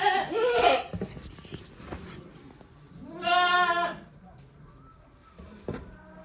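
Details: Goats in a shed on a handmade goat farm, 5 December 2023, uttering varied calls: a harsh bleat at the start, then one clear, quavering, nasal bleat of about a second, with soft knocks and rustling between.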